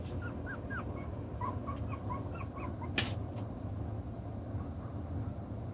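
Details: Chocolate brown Toy Poodle puppies, six weeks old, at play with their toys; soft, short curling squeaks in a scattered run, one sharp click partway through, over constant low background noise.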